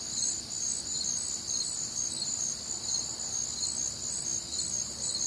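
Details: Crickets calling through a humid, warm Midwestern summer night with other nocturnal sounds; high chirps pulse roughly twice a second over a steady shrill trilling background.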